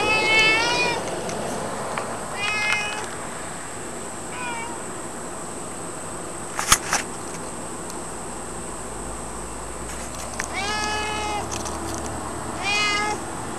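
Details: Pet cat giving a series of short, wavering meows in bursts: about four early, a quieter one mid-way, then two more after a pause, with a sharp knock and faint background noise.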